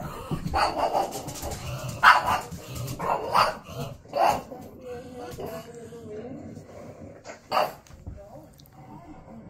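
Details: A pet pug barks short, sharp barks at irregular intervals at the TV while watching videos of herself, as a person talks nearby.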